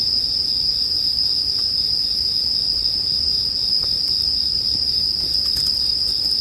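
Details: Bell crickets ring in a smooth, constant high drone beside a bonfire meant for sleep, with a few light crackles and small pops.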